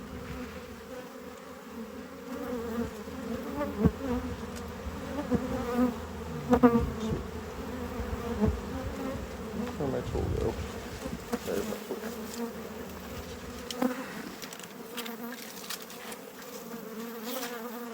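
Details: Honey bee colony in a hive being harvested as a heavy frame is slid back in; a sustained low buzzing drone broken by clicks, bumps and handling noises.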